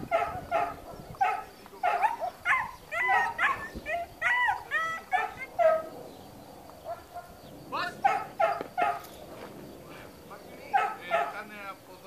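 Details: Long-haired German Shepherd, trained and guarding at a dog school in Spata, Greece, gives rapid runs of rough, ringing barks, some rising and yelping, in clustered volleys with short gaps, over low background noise.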